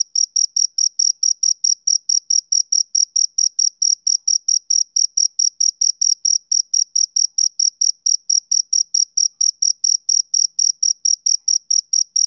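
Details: Rhythmic chirping of a male cricket on a summer evening. Evenly spaced, shrill pulses repeat about four times a second for the whole stretch, with no other sounds.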